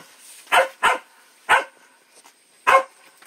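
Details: Puppy barking four times, short harsh yaps with a pair close together, a pause, then two more spaced barks.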